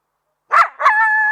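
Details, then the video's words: Coyote giving two short harsh barks, then a steady, level howl held about half a second with clear overtones; no other sounds. "THE SOUND OF COYOTES"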